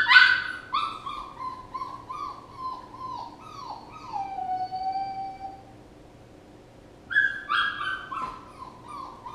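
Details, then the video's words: Puppy whimpering in a quick run of short, falling cries ending in a long sliding whine, then silence before a fresh burst of high whimpers; soft background hum. "A puppy whining"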